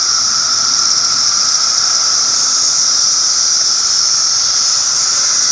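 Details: Cicadas producing a constant, piercing electric-sounding whine over a softer low hum, the drone running evenly from start to finish without breaks.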